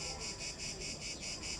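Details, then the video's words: Cicadas in Rome, Italy, in hot weather, recorded in the city: a loud, harsh, buzzing drone that pulses about every quarter second, steady throughout with no pauses. "To są chyba cykady. Ciekawe."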